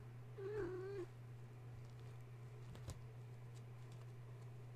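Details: Gaia's kittens, roused from sleep at bedtime by the plugging in of a space heater and now too excited to nurse; a single clear, slightly quavering meow near the start, followed by a soft knock and steady low hum.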